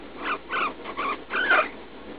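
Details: Leslie, a roughly three-year-old female guinea pig in pain while pooping after eating leaf lettuce, suspected urinary infection; four short, strained squeaking cries in quick succession, the last one longest and highest.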